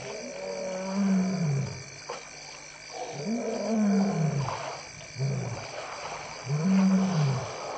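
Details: In the afternoon on 15 March 2015, beside elephants bathing, a lion gives deep, moaning roars every couple of seconds over splashing water.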